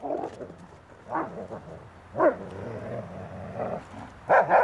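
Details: Magmar Von Der Burgstätte, a Dobermann, lets out scattered gruff barks roughly once a second, the loudest near the end, against a steady low rumble.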